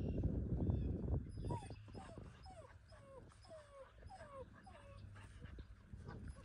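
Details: American Country Mountain Mastiff giving a run of high, descending whimpers and yips, each a short falling whine, repeated about twice per second after an opening burst of louder low sounds; steady low rumbling noise underneath throughout.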